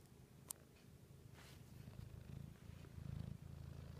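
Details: A female Siamese cat under a blanket purrs steadily, a low, rumbling vibration pulsing rapidly with each breath.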